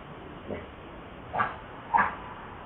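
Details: Baby monkey Lucie, very hungry and wanting milk, gives three short mid-pitched cries: one faint, then two stronger ones about half a second apart, over a steady background hiss.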